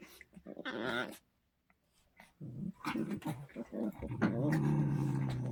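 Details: Pet Poodles bickering with odd vocal noises: a wavering whine, a pause, then choppy grumbles that build into a steady, low, rumbling growl lasting over a second.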